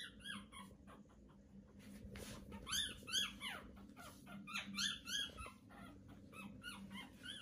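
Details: Litter of newborn Pomeranian puppies at day 18 squealing busily: many high, arching squeaks and whimpers tumbling over one another in quick uneven bursts, with a faint low hum beneath.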